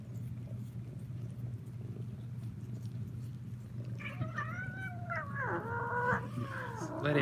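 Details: Kittens in an attic shelter room, one giving harmonic meows from about the fourth second: wavering, falling and rising cries, a drawn-out drooping wail, then a sharp higher call at the end over a steady low hum.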